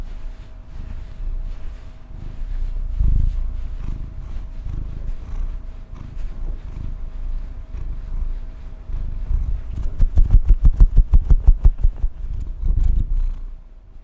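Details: Pet female domestic cat purring: a low, grainy rumble that swells and fades with each breath, then a louder run of rapid, evenly spaced pulses toward the end, over a faint steady hum.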